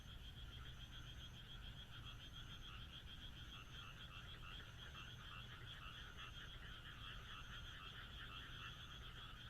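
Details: Frogs croaking on a moonlit night in the Japanese countryside: a dense, unbroken chorus of many callers forming shimmering, pulsing trills, with a steady low rumble beneath.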